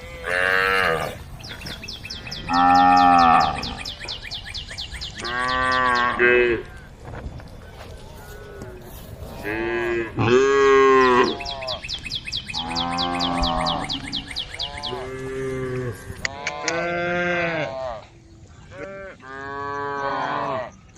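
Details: A herd of cows on the road calling to the herd: about eight loud, drawn-out moos in a row, often overlapping and varying in pitch, some rising and falling, with a steady high chirping in the background.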